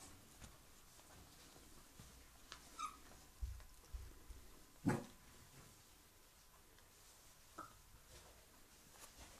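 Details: Seven-week-old Sloughi puppies: a couple of brief, high, thin whimpers near three and seven and a half seconds, set among soft thumps, scuffling and rustling.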